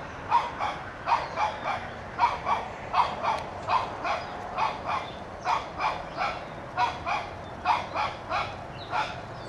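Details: Toby, a one-year-old Shih Tzu puppy, barks at a whitetail deer to chase it from his yard: sharp high yaps in uneven bursts, often in pairs, repeated steadily for the whole stretch over a faint background hiss.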